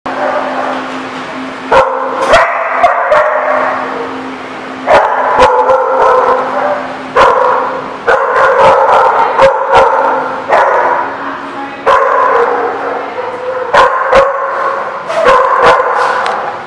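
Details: Dogs barking at the Barking Lot, recorded 6/03/16: loud, irregular sharp barks with a sustained low steady hum underneath and bursts of broadband noise between barks.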